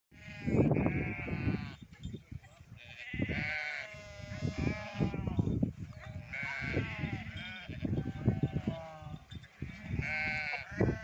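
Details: Domestic goats on a farm that keeps goats and sheep, with several wavering, nasal bleats about three seconds apart. A steady shuffle of hooves and the low rumble of the herd run underneath.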